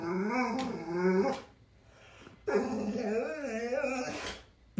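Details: Scared dog, terrified of a cat sitting in front of its ball indoors; two long wavering whines, each over a second, with strong harmonics rising and falling, separated by a brief pause.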